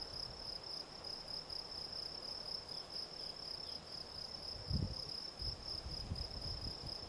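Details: Gryllus campestris field cricket chirping continuously, each chirp a clear high tone repeated several times a second, with a couple of low thumps or handling bumps near the middle and end.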